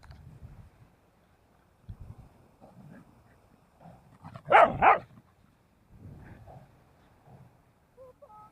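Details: Puppy taking its first seaside walk on Daebudo Haesol-gil course 1 gives one loud, doubled bark midway, framed by quiet rustling and soft background noise.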